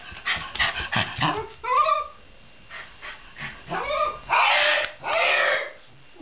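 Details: A Shiba Inu vocalizes in quick succession: a few rough, growly bursts, then high arching yelps that bend upward and back down. It ends with two loud, harsh, noisy cries.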